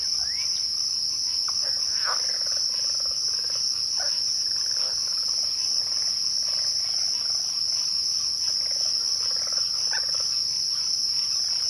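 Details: A dense, even, high cricket trill at twilight fills the recording. Scattered faint chirps and short mid-pitched calls rise and fade underneath it.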